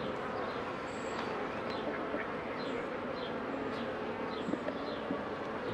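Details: Honey bees around hives as a beekeeper works them in June 2018, making a dense, continuous buzzing hum, with brief high chirps of birds scattered above it.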